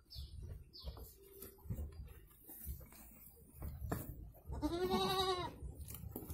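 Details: Goat in Indonesia during the birth of two kids: a single wavering, quavering bleat near the end, preceded by faint high downward chirps and low background rumble.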